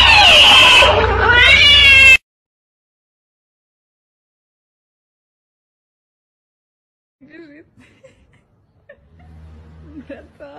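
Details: Domestic cat letting out a short, strained meow that wavers in pitch for about two seconds, then near silence broken by faint scattered rustles and soft squeaks.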